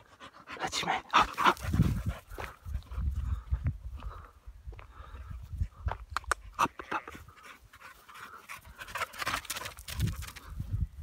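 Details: Happy American Staffordshire terrier running outdoors by a river on a walk, panting in quick rough breaths around three per second, with rustling, footsteps and bursts of low wind noise.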